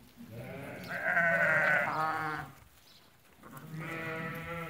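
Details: Ewes that have recently lambed, a flock of eighty for sale at Fkih Ben Salah, Morocco: one long, quavering bleat lasting about a second and a half, then a pause and a second bleat starting near the end.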